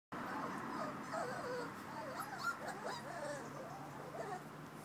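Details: Eight 5-week-old Labrador and Golden Retriever puppies whimper and whine in high, wavering, overlapping squeals in front of their dogloo.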